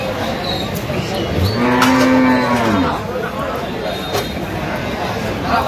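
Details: Cow with calf at the Aftabganj cattle market in Dinajpur on 14 October 2025: one drawn-out, steady moo lasting about a second and a half rises clearly above a constant murmur of market crowd noise.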